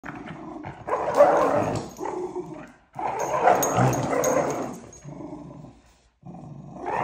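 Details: Miniature schnauzer puppy tussling with a person over a gremlin toy both want; harsh rough growls and snarling bursts in long runs, broken by short pauses, close and loud.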